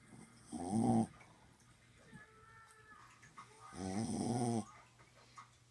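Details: Pet dog asleep overnight while visiting a home, snoring: two loud rasping snores, each under a second long, rough and broadband, separated by about three seconds of quieter breathing with a faint steady hum.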